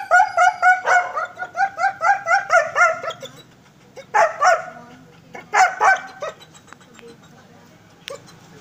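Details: A long-coated German Shepherd barks in a quick run of sharp, ringing barks, then gives a few more.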